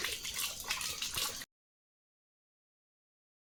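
A brief burst of splashing, trickling water noise, then silence, with no animal voice.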